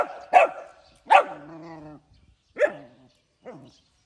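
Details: Puppy barking in the morning, four short yelping barks spaced unevenly about a second apart, the second trailing into a drawn-out whine, the last softest; otherwise quiet.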